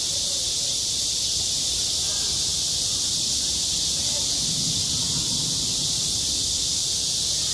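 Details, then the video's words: Cicadas singing on a school playground in high summer: a dense, unbroken high-pitched buzzing drone fills everything, with faint murmuring low sounds beneath. "한 여름 운동장에서 매미가 울고 있다 - 여름의 소리, 학교 종소리, 매미 울음소리"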